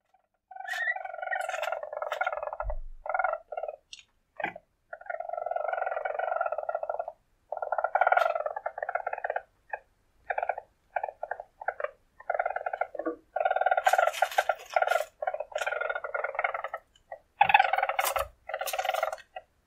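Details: Weasel, a wild predatory mammal of the marten family, giving buzzy, pulsed trills in bursts of one to three seconds separated by short gaps, with sharp clicks between, some louder harsher bursts near the end.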